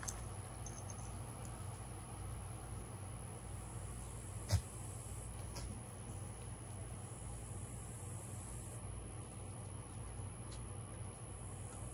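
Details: Quiet outdoor ambience of low steady hum and faint hiss, broken by one sharp click, with no animal calls.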